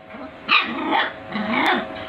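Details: Puppy barking in full aggression, two harsh bursts about a second apart with growly undertones, while a person imitates with "bow ho" nearby.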